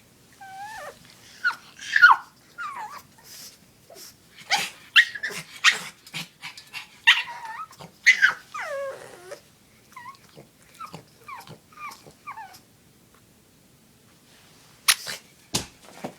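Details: Pet dog Oscar begs to play with his favorite chew toy, giving repeated high whimpers with falling pitch, broken by short yips and brief silences, then two final sharp sounds.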